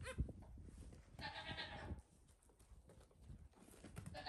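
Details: Young goat kids at play on a farm, their mother ready for bed; one wavering bleat near the start of the recording, then shuffling, thumps and low scuffing noise.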